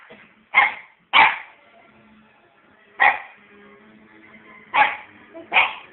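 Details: Pet puppy barking nonstop on bonfire night; five sharp, loud barks, a pair near the start, one at three seconds and two more near the end, with quiet gaps between.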